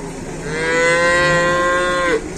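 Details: Cow that cannot stand at a market in Indonesia, watched by sympathetic locals: one long, steady, resonant moo of nearly two seconds, rich in overtones, ending with a brief downward slur, with speech heard just before and after.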